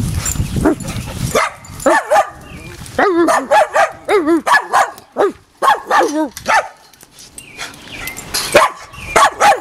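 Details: Dogs at play, a pit bull named Aslan with a mutt and Boston terriers Jeffie and Max: a string of short, tonal barks with arched pitch, fired in quick bursts with brief pauses, over faint outdoor rustling.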